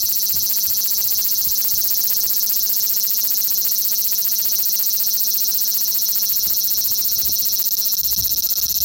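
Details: Large brown cicada, a male, filmed in Osaka city, Japan on 5 August 2019 with an Xperia XZ1 phone, giving an unbroken, hissing, frying-oil-like buzz held at one even pitch throughout, loud and high.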